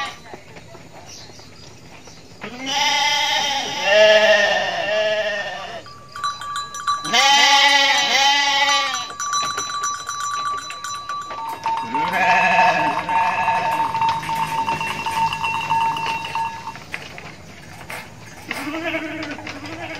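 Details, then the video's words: Indonesian mother goat bleating repeatedly, with two loud quavering cries early, then a longer wavering bleat under a sustained ringing tone, and a short final bleat; background chimes and low noise throughout. "INDUK KAMBING LUCU BANGET BIKIN NGAKAK | SUARA KAMBING"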